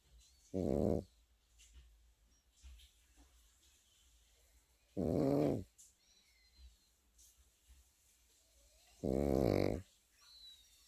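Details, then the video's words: Pekingese puppy snoring in its sleep: three short, buzzy, rasping snores at a steady pace of about one every four seconds, with soft breathing and faint light clicks between them. "패키니즈 코고는 영상"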